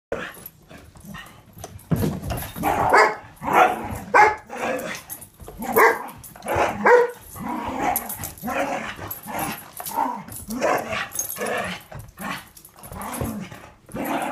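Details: Three dogs, a boarding dog, a foster puppy and a household dog, playing together: rough, overlapping growls, grumbles and gruff barks in quick bursts, with scuffling noise throughout.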